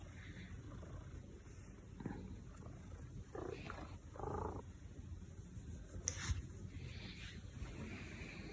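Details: Pet Maine Coon cat indoors at home, purring as a low, steady rumble beneath soft crackling bursts and rustling, with a brief sharper click near the end.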